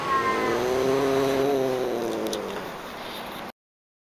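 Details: Pallas's cat voicing a sustained, low, nasal meow lasting nearly three seconds, its pitch sliding gently downward at the end, over soft background noise.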